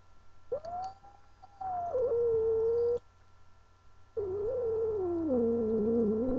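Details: Unhappy at being held, female house cat Angel gives a level yowl that drops to a steady lower tone, then a rough, wavering moan with strong harmonics after a brief pause.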